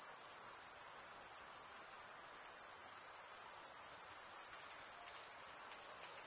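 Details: Night crickets in a summer forest keep up a continuous high, finely pulsed trill, a thick wall of overlapping chirping with a quiet hiss below.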